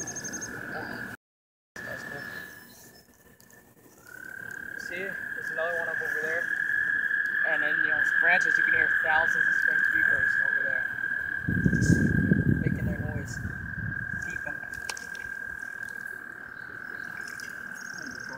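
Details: During mating season, heard from a kayak on the water, a dense chorus of spring peepers forms a steady, high peeping wall of sound from many frogs.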